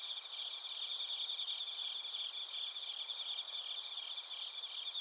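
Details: Bell crickets with field crickets in Narita, Chiba Prefecture, Japan, recorded using a TASCAM Portacapture X8. Layered shrill chirps repeat quickly and irregularly over an unbroken high-pitched ringing background.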